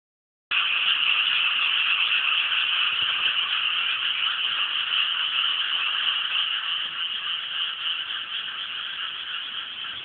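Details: Rice-paddy frogs near Inasato, Nagano City, Japan, calling together in a continuous dense chorus of grating, overlapping croaks that begins after a half-second of silence and eases slightly in loudness toward the end.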